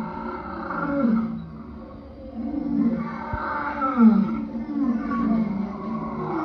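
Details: Lion calling with low, moaning roars that swell and fade, a gap of near silence mid-clip, then rougher groaning calls with a slight downward slide.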